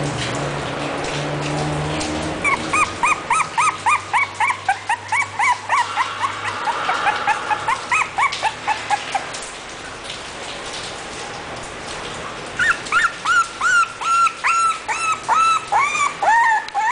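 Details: English bulldog yelping in quick bursts of short, shrill, up-and-down notes, a run in the first seconds over a low humming tone, then a pause, then a louder, faster string of yips near the end.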